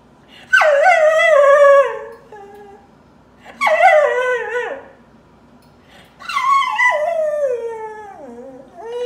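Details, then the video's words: Crying dog giving three long mournful howls, each beginning with a sharp high onset then gliding steadily downward, spaced about three seconds apart with silence between. "Crying Dog"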